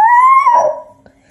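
A Basenji gives a short, tonal yodel-like cry that rises slightly, then wavers and drops away.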